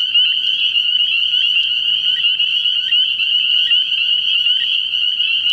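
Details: Spring peepers chorusing at night in early spring at a frog pond: a dense, unbroken wall of high, piping peeps from many frogs, pulsing slightly in loudness, with no other clear sounds.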